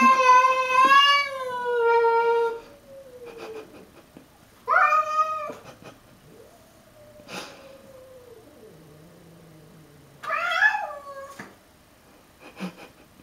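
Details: Pancakes the pet cat confronting a stray: a long wavering yowl that slides downward, short sharp yowls at intervals, and low drawn growls between them, with faint clicks.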